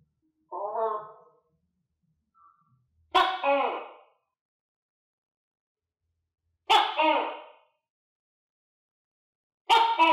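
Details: Captive tokay gecko kept with other tokay geckos, filmed while clumsily eating crickets; a softer low call first, then three loud, harsh, two-part barking calls with rich harmonics roughly every three seconds, otherwise silent.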